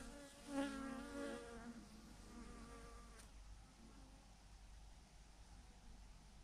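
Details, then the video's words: A honey bee swarm clumped by the thousands on a branch; a close bee buzzes loudly in the first two seconds, then the sound settles into a softer background hum. "thousands of BEES hanging on a branch in a massive clump"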